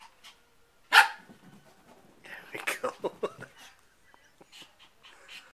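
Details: Young Shih Tzu, four months old, confronting his mirror reflection: one sharp bark, then a burst of quick soft yips and grumbles mixed with a person's speech, fading to faint noises.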